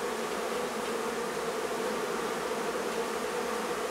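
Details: Loud, unbroken buzz of a honey bee colony crowding its hive in a barn in La Feria, Texas, in the heat of midday, a steady drone with no other sounds.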